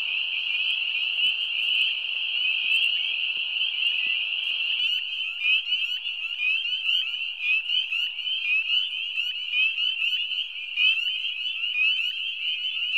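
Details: At an Ontario wetland in spring, spring peepers in full chorus give many high, piercing peeps overlapping into a continuous shrill ringing.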